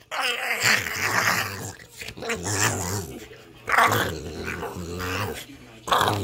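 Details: A fed Boston Terrier producing crazy gremlin-style vocalizations: a string of low, guttural growls and grunting rumbles rising into rasping squeals, four main bursts with brief pauses, recorded indoors.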